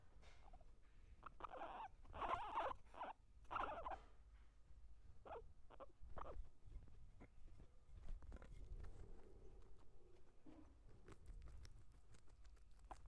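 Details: Guinea pig, eating and fighting, gives a cluster of loud grating squeaks in the first four seconds, then mostly sharp clicks and crunchy chewing with a faint soft tone later.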